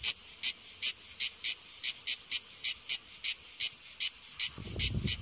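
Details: Summer cicada song, shrill and deafening; evenly spaced high buzzy pulses about three per second, with a low rumble near the end.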